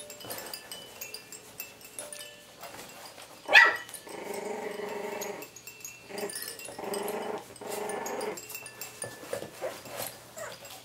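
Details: Coton de Tulear puppies, three and a half weeks old, having fun at play: a sharp squeak, then bursts of low, rough growling with harmonic overtones in long stretches, over faint tinkling chimes.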